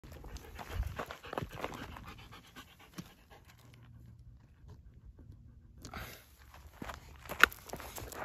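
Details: Slush, a male Siberian Husky, stopping and refusing to go on partway through a walk. Rapid breathy panting bursts fill the first three seconds, then near silence, with a few sharp rustles and handling noises toward the end.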